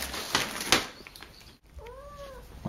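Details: Akari, a young house cat newly brought home, indoors while a package is opened nearby: a soft, arched meow rising and falling over about half a second, preceded by rustling and knocking of handling.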